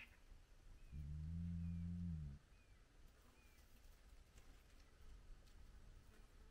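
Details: Short, flat, deep groan lasting about a second and a half from a spotted hyena at a clan den with cubs at sunrise, then quiet background with thin bird whistles.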